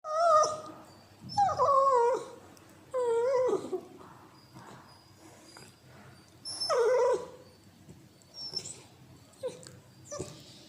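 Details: A Cocker Spaniel puppy gives squeaky, wavering whines and yips in short bursts while playing and biting; these are new noises for it.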